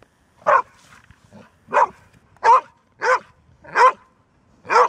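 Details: Barking Golden Retriever, a dog said to bark rarely but persistently once started: six strong single barks at slightly uneven intervals of about a second or less, a faint whimpering tone between them.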